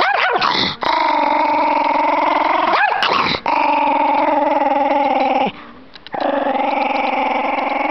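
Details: Chihuahua named Shaggy, deliberately made mad: long, sustained, throaty growling with steady harmonic tone, broken by two brief dips and a short quiet gap, then resuming just as loud.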